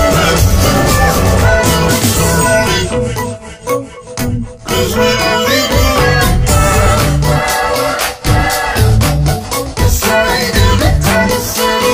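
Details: Loud rhythmic music with percussion plays throughout, with no animal voice heard.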